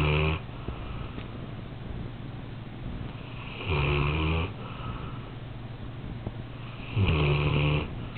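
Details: Newfoundland dog named Maggie Moose, sleeping very soundly in a bathroom, snoring loudly in deep, rumbling breaths that swell roughly every three seconds against a low steady background.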